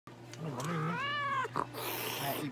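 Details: An American Shorthair cat at a veterinary clinic in Nagoya, Japan, during treatment with eye and nose drops, injections and light therapy, gives a single drawn-out harmonic meow rising then falling, with a clinician speaking softly nearby.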